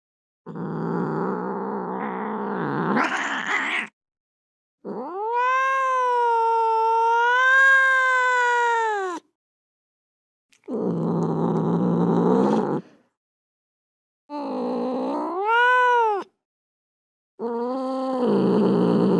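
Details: Domestic or alley cat producing long moaning yowls alternating with harsh, rough growl-like cries, pitch rising sharply at phrase ends, with brief silences between.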